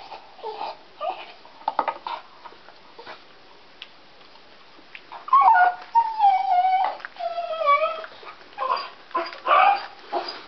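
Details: Deaf pet dog crying while biting on a stick, unable to hear himself; harmonic whimpers and whines at mid pitch, sliding and wavering, clustered from the middle of the stretch, with quieter chewing-like noises between.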